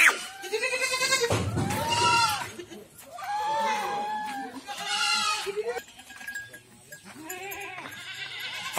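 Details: Goats on a farm in Rajasthan's Ajmer and Kota area give a string of long, wavering bleats, several animals calling in turn and overlapping, with a brief thump and quieter bleating at the end.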